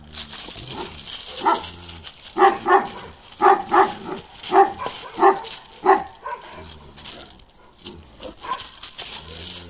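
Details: Balyoz, a 15-month-old male Kangal dog, barks in a deep voice. About eight evenly spaced barks come in quick pairs and singles over several seconds, then the barking fades to quieter background noise.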